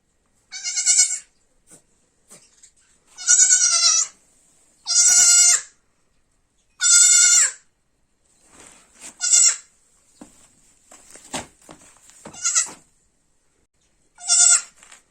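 A kid goat gives a series of high, wavering bleats, each lasting under a second with a bright, nasal tone. The cries come in irregular bursts separated by brief pauses and faint rustling.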